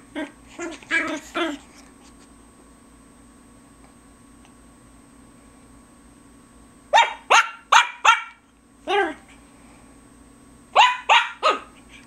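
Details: Loud, noisy Biewer Terrier puppy recorded in May 2007, giving high, sharp yappy barks in quick clusters of three to five with pauses of several seconds between bursts, a steady hum underneath.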